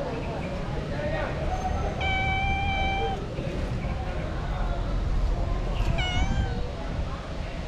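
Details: Female street cat crying and asking for food; two clear, drawn-out meows, one long and level near two seconds in, a shorter bending one near six seconds, over a steady low rumble of background noise.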